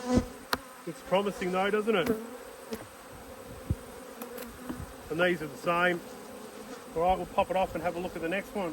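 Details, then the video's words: Angry honey bees from two inspected hives zip repeatedly around the recorder, each pass a throbbing buzz sliding up and down, in clusters separated by calmer stretches of constant colony hum and faint tapping. "When Bees Go Wild - Inspecting Two Angry Hives"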